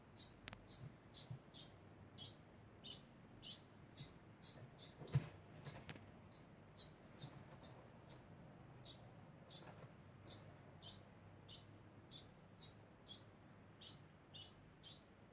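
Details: A degu keeps up a constant sound, a steady train of brief high-pitched squeaks, about two each second for fifteen seconds, with one soft thump partway through.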